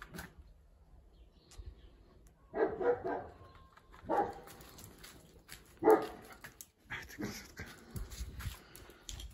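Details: Dog on a walk, from a group of huskies and Central Asian Shepherds, runs off after something it saw; three short barks spaced about 1.5 seconds apart over rustling movement, with a person talking and faint music.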